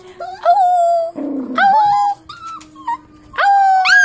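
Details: Pet dogs howling indoors in response to the daily 5 o'clock fire whistle: long sustained howls that rise at the start and then hold a steady pitch, separated by short pauses, with a faint background hum.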